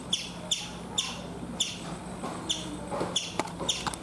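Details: Chipmunk in a coconut tree in India uttering sharp high chirps at irregular intervals, some closely paired, others spaced nearly a second apart, against a quiet humming background.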